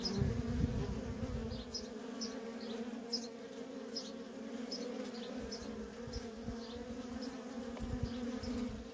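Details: Continuous low hum from the worker bees' constant coming and going at a feral honey bee colony, a thick layered drone, with short high chirps about every half second behind it and brief low thumps early on.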